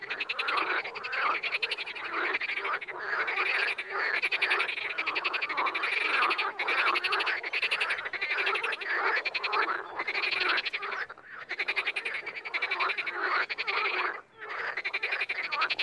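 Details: Frogs calling in the wild, a dense overlapping chorus of pulsed, rattling croaks filling the mid and upper range, with brief lulls near the end.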